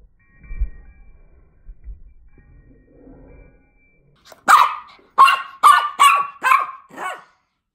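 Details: Miniature Pinscher attacking on Halloween, recorded in slow motion: low rumbling thuds at first, then six deep, drawn-out barks in quick succession, roughly two every second, ending in silence.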